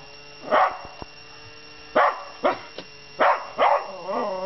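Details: A Miniature Schnauzer that normally never barks gives several sharp, high barks in quick pairs at a robot coin bank, ending with a whining, wavering note.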